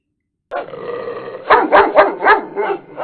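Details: A dog gives a drawn-out whining growl, then a quick run of sharp, mid-pitched barks. Finding: Dog (Canis familiaris), bark.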